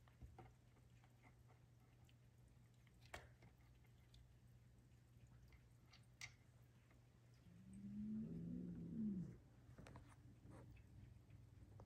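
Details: A seal lynx Bengal cat with leopard-like spots gives a single low, drawn-out meow over a steady indoor hum.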